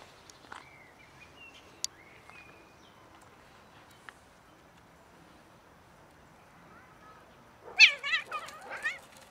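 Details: Domestic cat from a cat family seen attempting to mate and then eating; after a quiet stretch with a few soft thin sweeps, a loud burst of harmonic, wavering meows rises and falls near the end.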